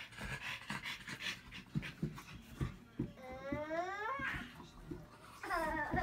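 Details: French Bulldog indoors, quick rhythmic breathy panting pulses about every third of a second, with a rising whining vocal sweep near the middle and another toward the end.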